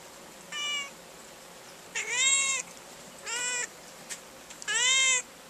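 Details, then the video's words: Rhoda, a pet cat, meowing indoors while posing in a drawer of black broken umbrella nylon; four harmonic meows, the second and fourth louder and longer, spaced about 1.5 seconds apart over a quiet room. "Rhoda the Vocal Cat"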